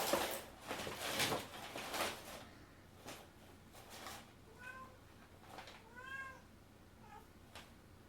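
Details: Cat playing with boxes and paper: paper rustling and crinkling at first, then several short meows, one longer rising-falling meow near the end.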